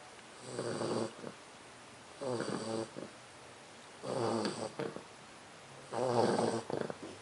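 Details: Snoring English Bulldog puppy named Leona, four months old: four rough, rattling snores spaced roughly two seconds apart, each lasting under a second, with near silence between them.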